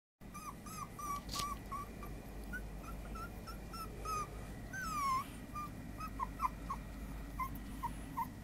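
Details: A 30-day-old puppy whimpers indoors: short, high squeaky whines come in quick, uneven bursts, with one longer, falling whine near the middle, over a low, steady background hum.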